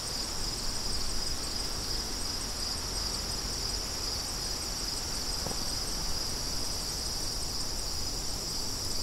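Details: High, insistent cricket chirping repeats rapidly over a steady wind bed, with one brief faint tick midway.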